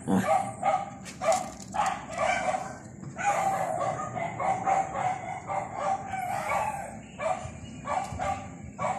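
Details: While rolling, a dog utters drawn-out, whiny barks and yelps in uneven bursts, several stretched into longer moaning calls, with a steady high tone running throughout behind them.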